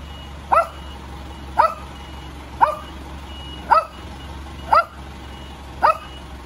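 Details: Cute little dog barking at the noise of a vehicle next door: six sharp, evenly spaced barks about a second apart, over a steady low engine rumble with a faint high beep.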